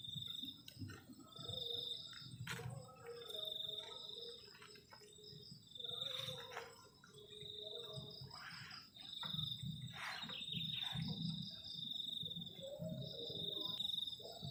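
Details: Crickets chirping on a cold night at a forest edge beside a garden camping shelter: a steady high shrill pulsing trill runs throughout, with scattered clicks and low thumps underneath.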